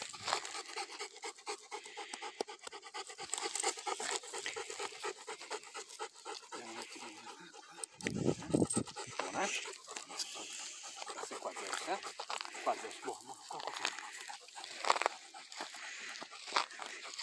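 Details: Rottweiler out in the hills of the Alte Langhe, Italy, with the pair Zeus and Maya; rapid breathy panting runs steadily through the clip, with rustling, a few human voices and a louder burst of noise near the middle.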